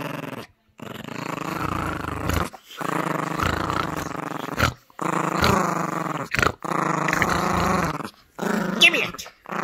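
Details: Gracie, a Yorkshire Terrier puppy, growls while playing tug-of-war with a squeaky toy indoors; long rumbling growls in several bursts separated by short pauses, with brief speech and a squeak near the end.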